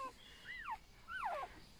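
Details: Newborn golden retriever puppy, one of a litter of eight only hours old at a rural Chinese home, gives two high descending whimpers, each sliding from a thin squeal down to a lower whine, with a quiet pause between.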